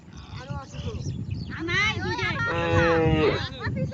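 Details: A cow in a herd that went across the river for grazing lets out a flat, sustained moo of about a second, while people talk excitedly nearby over faint background music.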